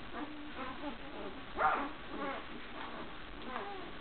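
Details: Newborn puppies, two days old, from the Nordic Giant's D-litter, feeding indoors; thin whimpers and squeaky yips repeat about every half second, with one louder squeal in the middle.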